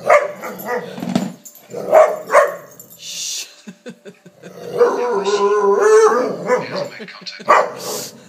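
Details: Layla, a Palestinian street dog now living in Canada, goes crazy playing with a lamp shade. Short rough growly bursts give way to a drawn-out wavering howl, then more yelps. Voices and a high hiss are heard around her.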